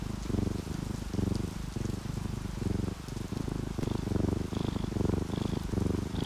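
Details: Relaxed pet cats, an orange tabby and a calico, asleep and purring; deep rhythmic rumble rising and falling with each breath, rain pattering softly in the background and a few faint high tones late on.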